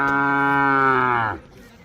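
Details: One steady, level moo lasting over a second, ending in a brief downward slide, from a Mysore/Khillar calf tethered in a row at Gondgaon, Gevrai taluka, Beed district, Maharashtra.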